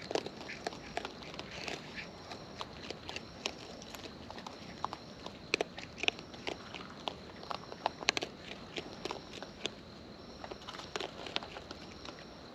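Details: Wild raccoons eating at close range, their chewing heard as a steady scatter of sharp, dry clicks and crunches with soft rustling between them.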